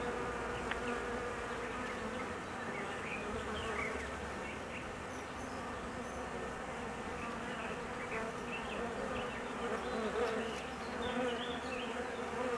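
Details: Nervous honey bees awaiting their queen's return from a mating flight; a continuous buzzing drone with a low hum beneath and short, scattered higher zips of individual bees passing.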